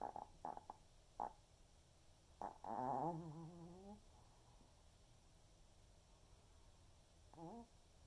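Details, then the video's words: Senior Pomeranian named Waldo snoring through an afternoon snooze: a few short snuffling snorts, then a drawn-out wavering, buzzy snore lasting over a second, followed by quiet and one shorter wavering snore near the end. "Pomeranian snoring"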